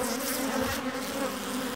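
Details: Low steady humming drone of honeybees as a beekeeper splits a colony, starting under a burst of hissy rustling noise that soon fades, leaving the buzz clear until an abrupt cut.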